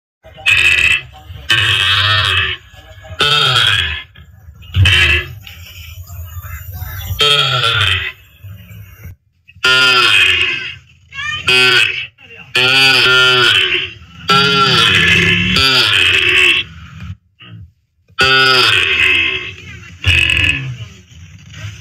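A calf moos loudly in repeated, harsh bawls, each lasting about a second.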